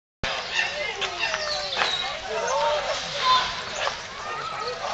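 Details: Chimpanzees at Twycross getting excited about being fed at snack time, a dense chorus of overlapping calls: rising and falling hoots and squeals that merge into a continuous, noisy clamour.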